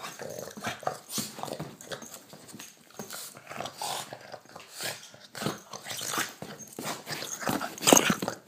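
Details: Pet Boston terrier play-biting a hand during a nightly indoor play session; rough, breathy growls and snuffles come in irregular bursts, mixed with rustling, with a sharp louder peak near the end.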